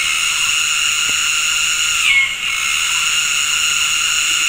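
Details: Cicadas chorusing in tropical forest at Gunung Ledang Nature Reserve, West Malaysia, on an afternoon, synchronizing their mating calls: a dense, steady high buzz layered in bands, with a brief rising squeal midway.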